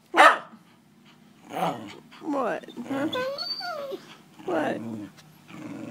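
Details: Several pet dogs howl together, one missing her owner and the others joining in; sliding, wavering howls rise and fall in pitch through the middle, mixed with short yelps and a person talking over them.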